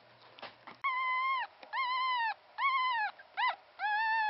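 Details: Newborn Pomeranian puppy, the only one of a litter of three to survive birth, its father a Pomeranian and mother a part-Pomeranian mix; a series of high, drawn-out whines with a steady tone, separated by short pauses.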